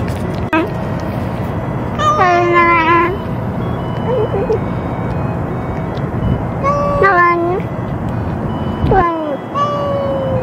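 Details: Stray sakura-neko cat meowing as it eats at a feeding after another cat threatened it: several wavering, downward-sliding meows, one at about two seconds, then more near seven, nine and ten seconds, over background noise.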